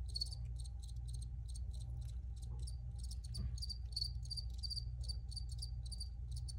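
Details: Crickets chirping: several high, rasping trills overlapping in quick irregular bursts, set against a steady low hum throughout.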